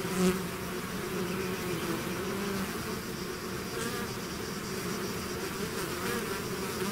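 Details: Hive swarm of bees in flight: an even, thick buzzing drone with a low hum and a higher overtone, a brief louder bee passing near the start, no other sounds.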